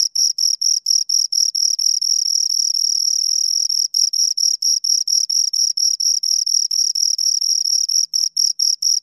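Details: Two crickets chirp together, their high, shrill pulses running almost continuously and overlapping into a near-constant trill, broken by brief gaps; no other sounds.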